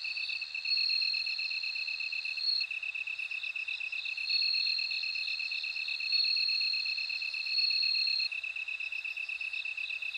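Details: Bell cricket song: high, bright ringing trills held for about two seconds each, broken by short gaps, over a steady, fast, lower-pitched pulsing from another insect in a quiet night-like setting.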